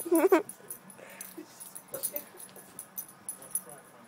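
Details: Boston Terrier dog, jealous and wanting the tennis ball a cat has, gives a brief high, wavering whine at the start, then only faint soft noises and quiet room sounds.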